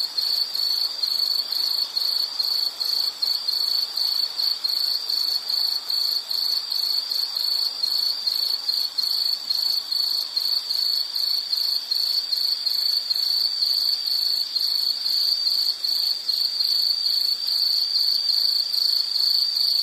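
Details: High, ringing insect song of rapid, fairly even pulses, roughly two or three beats per second, held without pause throughout the recording against a quiet natural background.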